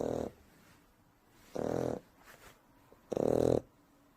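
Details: Sleeping Shar Pei puppy, three months old, gives three grating, buzzy snores roughly one and a half seconds apart, each a short harsh rasp, with quiet breathing in the gaps.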